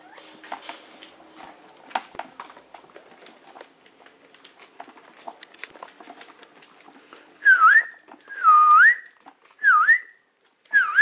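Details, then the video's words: After quiet rustling and tapping, a Maltese demanding to be let out gives four loud, drawn-out whines near the end, each dipping then rising in pitch, roughly one per second. "당장 꺼내줘 - 헤르젠 말티즈"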